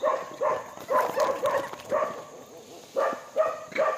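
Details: Monkey calling while feeding: a quick series of short, tonal, harmonic calls, two to three per second, then a brief pause before another burst of the same calls.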